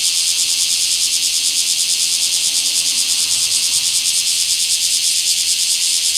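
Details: Bear cicada recorded in a small park on 24 July 2026: a strong, high, sizzling buzz with a rapid regular throb, holding steady from start to finish.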